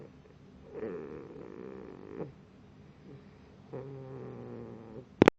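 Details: Moose, a sleeping pit bull puppy, snoring: two long rasping breaths of about a second and a half each, separated by a quiet pause, with a sharp click at the very end.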